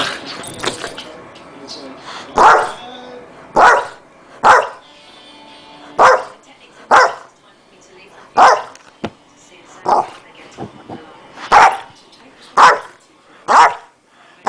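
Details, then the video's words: Zeus, a pet dog, acting crazy for no clear reason, gives loud, sharp barks roughly once a second in a steady series, with some voices faintly heard at the start. "Killer Dog"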